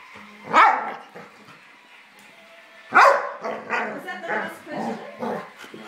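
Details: Dog barking during a scuffle in which a Labrador attacks an Old English Sheepdog puppy: two sharp, loud barks about two and a half seconds apart, with softer growly vocal sounds and human voices between them.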